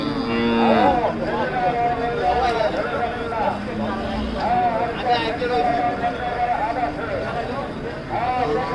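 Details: Large cattle at the Hazratpur cattle market before Qurbani, a big red cow among them: long bellowing moos that rise and bend, several in succession, against busy market chatter and background noise.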